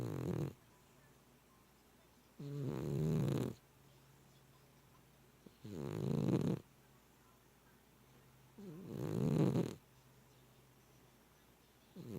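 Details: Loud snoring from a male house cat, said to be as loud as a freight train at times; three long, raspy, low inhalations about three seconds apart, with a faint hum in the quiet gaps.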